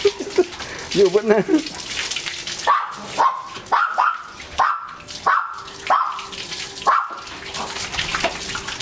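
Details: Bath time for a German Shepherd x Labrador mix: after a few spoken words, the dog gives repeated sharp rising whines roughly twice a second, each settling into a brief steady tone, with water running behind.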